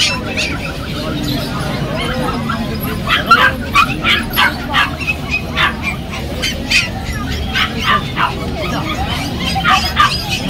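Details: Golden Retriever puppies for sale at the Galiff Street pet market in Kolkata, sold on Sundays: short high yips and barks repeated irregularly, roughly three per second, over crowd chatter and market noise.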